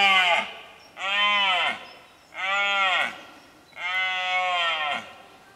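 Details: Red deer during the rut in Cazorla, 2013, giving a series of four hoarse roars, each roughly a second long with short gaps between them, loud and harmonic against a quiet background.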